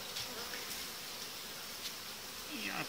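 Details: Honey bees in a hive while colonies are being united, as uniting dividers are removed about five days after being added; a steady, dense hum with faint tonal bands runs throughout, with a few light taps and clicks from hive handling.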